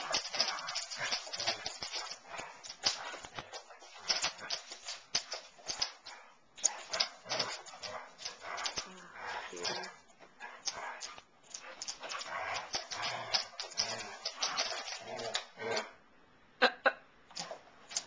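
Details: Basset Hounds Darwin and Elvis at play, giving a long stretch of continuous raspy growls, grunts and snorts with frequent sharp clicks and scuffles. A person talks at times in the background.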